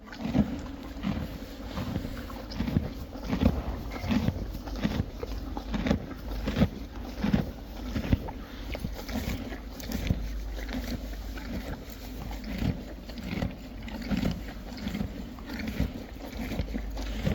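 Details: Friesian horses and foals chewing hay, dense overlapping crunches and grinding from several animals, a continuous rhythmic munch with faint rustle throughout.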